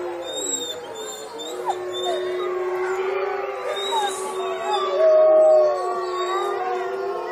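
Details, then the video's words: Wolves howling together at Olomouc, 29 August 2013: several overlapping, sustained voices form a dense chorus, one holding a steady mid tone while others slide, waver and rise higher above it, loud throughout. "Wolves Howling"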